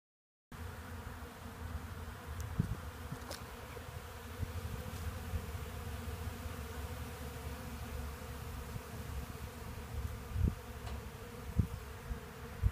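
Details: Hundreds of honey bees gather sawdust from freshly milled Black Locust sawlogs at a portable sawmill, making a steady low droning hum with a few scattered clicks and knocks.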